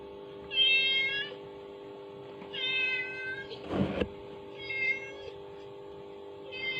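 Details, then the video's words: Kitten reacting to a mother cat's calling sound played from a phone; high harmonic mews repeated every two seconds or so, with a steady electrical hum and a brief rustling burst. "Reaksi Anak Kucing Mendengar Efek Suara dari HP || Suara Induk Kucing"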